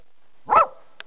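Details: A puppy playing outside with its littermates gives a single short, harsh bark, then a faint click follows.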